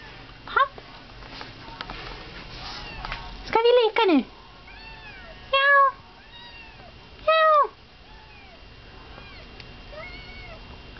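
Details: Female house cat meowing while being given her medication: several short, loud, harmonic meows at irregular intervals of about two seconds, with a faint human voice in the background.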